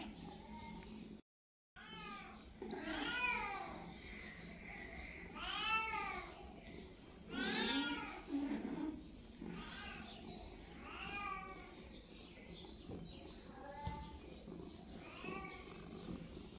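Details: Domestic cat meowing repeatedly, about every two seconds: arched, harmonic-rich meows that rise and fall, some longer and drawn out, with a low background hum and a brief silent gap near the start.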